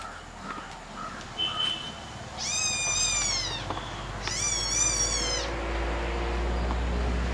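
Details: Kittens fighting, pet baby cats: two loud, high-pitched meows, each lasting about a second with a wavering, slightly falling tone, separated by a short pause, over a low steady background hum.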